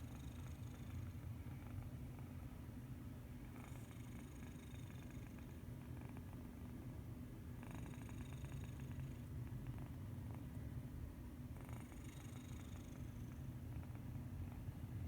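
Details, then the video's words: Domestic cat snoring while sleeping peacefully: steady low rumbling breaths with faint brighter snuffly bursts at about four-second intervals. "Medi Cat is a snoring kitty"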